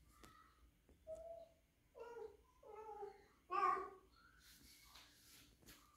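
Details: Three-month-old rescued female kitten indoors, possibly in heat, making short varied meows and chirping cries, some rising and some falling, one louder wail near the middle, with faint clicks and room noise.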